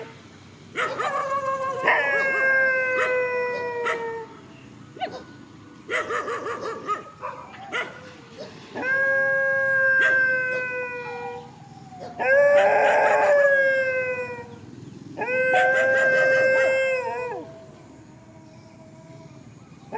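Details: Countryside dogs facing each other in a field, several long sustained howls with clear harmonic tones, some gently falling in pitch, lasting one to two seconds each, interleaved with short yelps and pauses.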